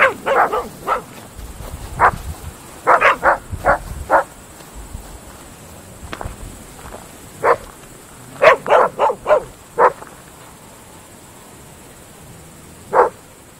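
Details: Groenendael Belgian Shepherd dogs barking at night in open fields: sharp barks in short bursts of two to four, spaced by quiet gaps, with a few softer distant barks and a faint steady hiss behind.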